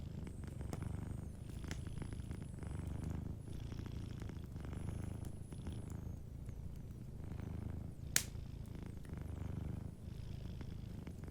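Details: Sleeping cat's soft purr, low throbbing waves repeating with each breath, beside a crackling fireplace that gives a single loud snap late on; a faint thin high tone sounds in the first half.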